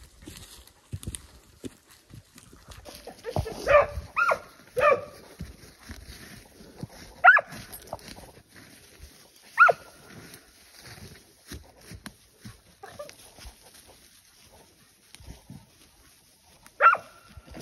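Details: Tracking hounds out flushing wild boar during a hunt give scattered, separate barks with long gaps, some doubled, against a rustling outdoor background while a person speaks briefly.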